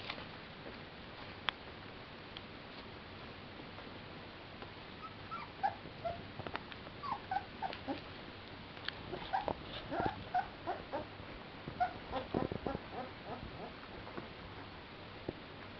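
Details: Clumber Spaniel puppies from a kennel, playing in spring 2011: scattered short, high whimpers and yips come in brief bursts over steady background hiss, with soft bumps and scuffling.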